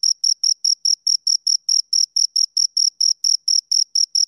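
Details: Two crickets stridulating up close: crisp, evenly spaced shrill chirps, around four to five per second, each a short bright burst; nothing else audible.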